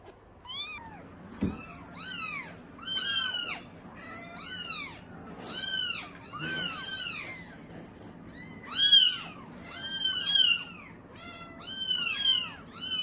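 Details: Norwegian Forest Cat kittens at a cattery making a commotion for milk; a dense chorus of shrill, arched meows from several kittens, overlapping and repeating almost every second, with a soft thump near the start.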